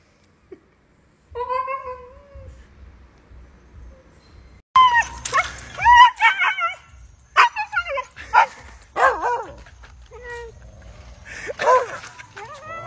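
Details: Hyperactive Husky dogs vocalizing: a long, steady, tonal howl with stacked harmonics gives way to rapid yips, whimpers and wavering yodel-like cries. Music, laughter and human voices are mixed in.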